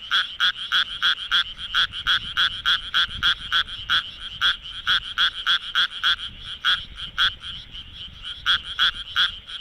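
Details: Japanese tree frog calling at night in Minamitajima, Kawagoe, Japan, with vocal sac inflating: rapid series of short raspy pulses, about three per second, bright with strong upper harmonics, in uneven bursts with brief pauses.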